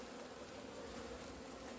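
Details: Honey bees leaving the hive into the sun on 17 February 2020, after two months of winter confinement, on a warm day: a steady low droning hum with an overtone above it, continuous and even throughout.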